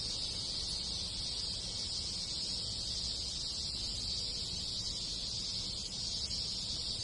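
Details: Countless cicadas singing in a Japanese village in summer alongside other insects; an even, piercing buzz runs constantly across the clip with a quiet low murmur beneath.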